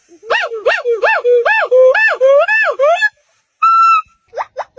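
A monkey gives a rapid series of arched, whooping hoots, then a steady whistle and quick rising squeaks.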